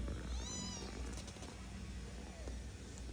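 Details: Kittens at play give one thin, high meow with clear overtones early on, short and sliding, set against a steady low hum and background noise.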